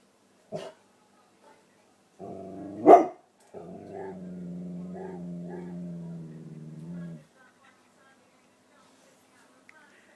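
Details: Pet dog wound up about a possible cat in the garden gives one sharp bark, then a long wavering whine-howl lasting several seconds, with a brief human sound at the start.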